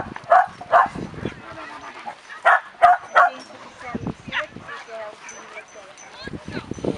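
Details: Two dogs romping and wrestling together at a kennel club agility competition in Hoogeveen, 2011; short barks and yips in bursts, several close together, with people talking in Dutch between them.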